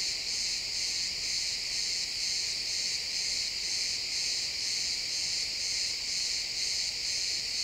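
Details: Pine forest crickets at sunset, XY stereo recording: many insects chirping together as one continuous high buzz, swelling and fading in even pulses about two per second.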